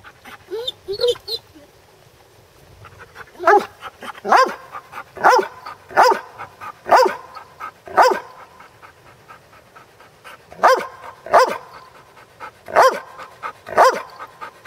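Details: A Basset Hound at play gives short, clipped, mid-pitched, punchy barks in clusters about a second apart, with brief quiet gaps between runs and faint background sounds.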